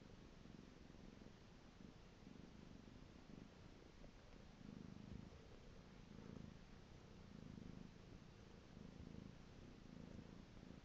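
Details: Pet cat producing a continuous low purr, rumbling in slow waves of breathing rhythm that swell and fade every second or so, quiet and close.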